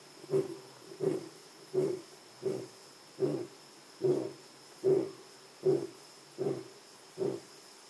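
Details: Lion at Jejane PNR, South Africa, ending its roar with ten short, low, grunting huffs about 0.75 seconds apart, fairly even and slightly softening toward the end, over a faint constant high-pitched background tone.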